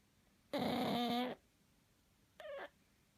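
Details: Sleeping pug snoring: one rough, buzzing, harmonic-rich breath lasting under a second, followed by a shorter snort-like burst, in a quiet room.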